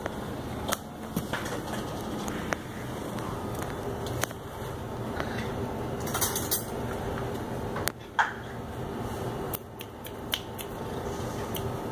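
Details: Indoor clatter of cupboards, dishes and cutlery over a steady fan-like hum, with no animal call audible.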